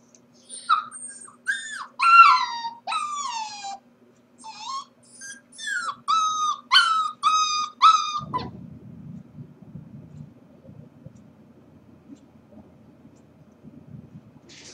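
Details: Corgi puppy left alone at home while its owners are at work, whining in a run of high, tonal whimpers and yips with falling pitch, about a dozen cries over eight seconds, then a low muffled rustle as it settles.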